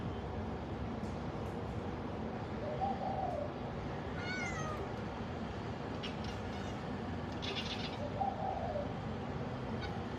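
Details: Black cat watching birds, giving soft, faint mews about five seconds apart and a short descending harmonic chirp in between, over a steady background hiss.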